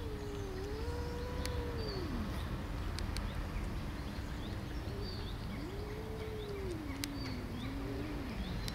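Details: Tortie cat, described as angry, uttering long, low, moaning yowls that swell and sag in pitch, two extended calls with a pause between, over steady background hiss and faint high chirps.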